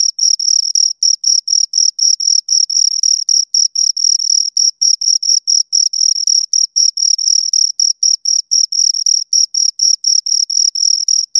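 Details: Two crickets keep up a fast, regular series of piercing chirps, about four per second, each a short buzzy burst, with occasional tightly doubled pulses and no other noise.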